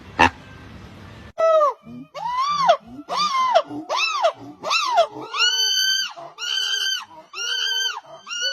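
Monkey calls: a run of loud, tonal, arching squeals repeated in quick succession.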